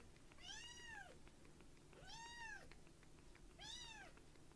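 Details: Tiny rescued kitten Uchan, light brown, resting on a palm after a milk feed, calls three times, each a rising-then-falling piercing mew roughly every one and a half seconds, with faint low background hum indoors.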